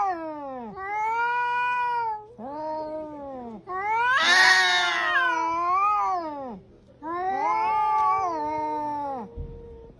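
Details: Cat cursing with a string of long wavering yowls and moans, rising and falling in pitch, about five drawn-out cries separated by short pauses, one harsher and noisier in the middle.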